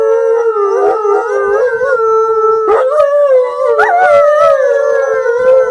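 A wolf howls in a long, steady, mid-pitched tone that wavers slightly and lifts near the end.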